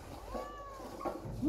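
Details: Ginger cat that wants to sleep on the mattress, giving one faint, drawn-out meow that arches gently up and down over a low background rumble.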